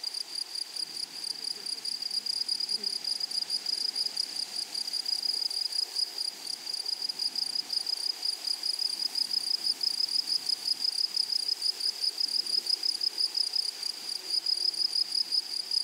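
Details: Grasshoppers singing in a flowery meadow: a piercing, steady buzz of rapid pulses that barely varies in pitch or loudness, accompanied by a faint distant hum lower down.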